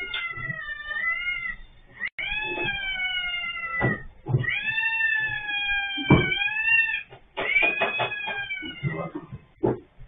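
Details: Orange cat with its head stuck in an automatic litter box, caught on a CCTV camera, gives long drawn-out harmonic meows, some rising then falling, nearly continuous over ten seconds, with knocks and handling noises between them.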